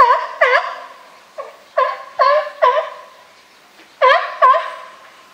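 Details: Barking from a California sea lion group at Higashiyama Zoo and Botanical Garden on 12 September 2023: about ten rich, honking barks, often in pairs, with short uneven gaps between them.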